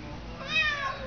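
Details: Indoor pet cat talking to his string like a baby: one drawn-out, bright, arching meow in the middle, with a woman's cooing voice just before and after.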